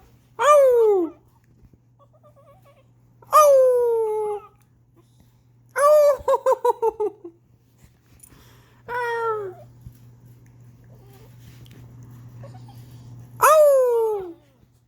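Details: Pet dog indoors howling in response to its owner's howling: five short, high, falling howl-like whines about every three seconds, one broken into a quick run of pulsed yips, over a steady low room hum.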